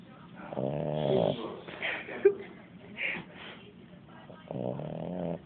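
A Boston Terrier gives deep, rattling snores, each a harmonic-rich buzz on the breath lasting about a second. Between snores come quieter snorts and a faint human voice.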